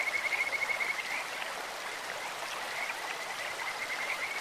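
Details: A Kajika frog in a clear stream opens with a loud, quickly pulsed whistled trill lasting about a second, then fainter high notes drift beneath the steady sound of running water.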